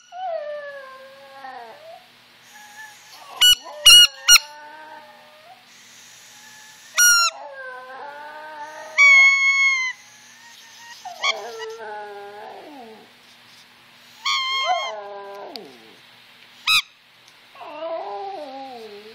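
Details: Brooke, a pet Yorkshire Terrier, howls in response to squeakers and whistles: long wavering descending howls with rich harmonics, broken by sharp high squeaker bursts and whistle notes throughout.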